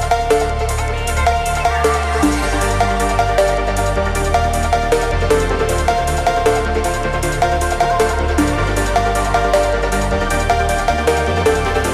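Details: Loud electronic dance music with a pounding bass line and steady beat throughout, no animal voices.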